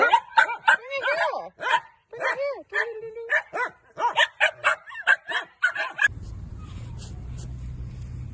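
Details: Miniature dachshund at play, a burst of rapid, high yappy barks and yips, many with arching, whiny pitch, repeated several times a second for about six seconds, then a sudden cut to low steady background hum.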